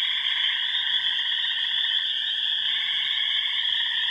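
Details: Upper Michigan pond chorus from the remote Yellow Dog Plains, with wood frogs, spring peepers, green frogs, gray tree frogs and toads. Overlapping high piping and rapid pulsed trills merge into one constant, loud drone.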